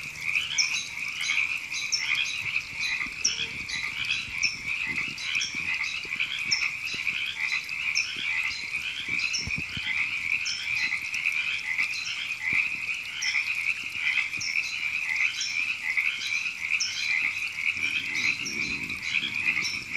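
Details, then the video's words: River frogs calling in April at Temescal Canyon Park, Los Angeles, California: a dense, steady chorus of raspy, pulsing croaks overlapping without pause, with brighter higher notes flickering above and faint low rumbles beneath. "Frogs Ribbits"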